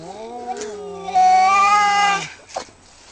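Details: Cat during a fight gives one long, drawn-out yowl with a steady, slightly wavering pitch. It is preceded by a quieter, lower moan and followed by a brief soft noise.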